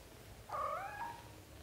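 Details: British Shorthair cat indoors, from a household where a mother lets her kittens out onto the floor to practise walking; one short meow, rising then falling, about two-thirds of a second long, over a faint low room hum.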